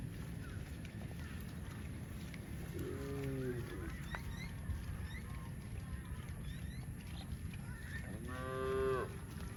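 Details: Cows in the fields: a short, faint moo near three seconds and a stronger, rising and falling moo near eight and a half seconds, over a dense low background rumble.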